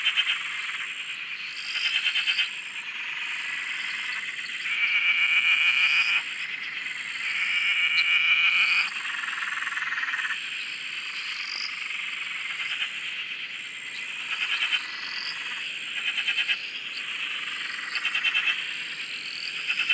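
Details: Frog chorus recorded from a shack on a dam in Australia: a dense, shrill background of high trilling with louder rattling pulsed bursts of one to two seconds, several overlapping, breaking out every few seconds.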